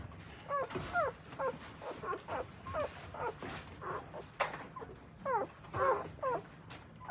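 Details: Newborn Akita puppies in Akita, Japan, beside their mother as she nurses and cleans them. They give thin, arched squealing whimpers about twice a second, soft and slightly blurred, with faint rustling underneath.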